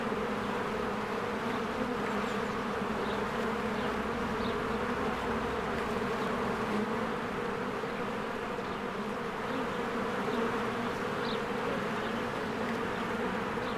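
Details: Honeybees in spring swarming in and out of their hive as flowers bloom, giving a dense, steady buzzing hum with low droning bands that never pause, faint higher chirps of birds scattered through.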